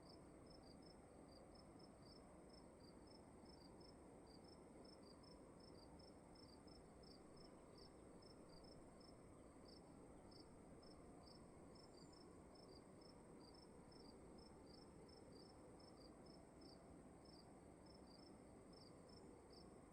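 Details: Indoor cricket at night giving brief, high, evenly spaced chirps, roughly two each second, throughout; a faint second chirper joins at times, all above a steady low droning hiss.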